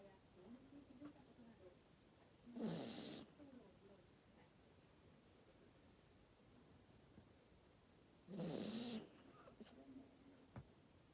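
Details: Maltese dog asleep, very tired, snoring; two soft, breathy rasping snores about six seconds apart in a quiet room.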